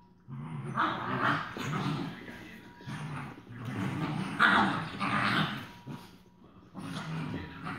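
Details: Rhodesian Ridgeback foster puppies, day two, playing rough with each other: growly, grumbling barks come in three longer noisy bouts separated by short pauses, set against a low steady hum.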